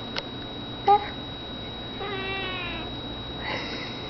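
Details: Vespa, a pet cat at play, gives a short harmonic meow near one second, then a longer drawn-out meow with stacked harmonics around two seconds and a fainter one near three and a half seconds, over a quiet indoor room hum.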